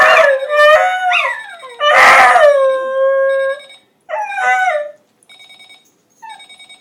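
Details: A dog named Charlie howls at an alarm clock that was left on. Loud, wavering, harmonic howls rise and fall in several bursts, with short yips between. The alarm's pulsed electronic beeping sounds faintly near the end.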